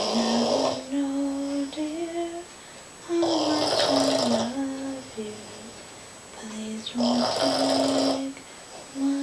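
A sleeping Boston Terrier snores in rough, breathy rasps about every three to four seconds.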